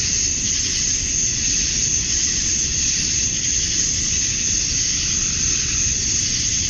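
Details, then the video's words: Male cicadas calling for mates at summer dusk in Georgia, USA; an even, high-pitched electric buzz fills every moment, softly wavering, above a faint low rumble. "Cicadas at Dusk, Summer Night"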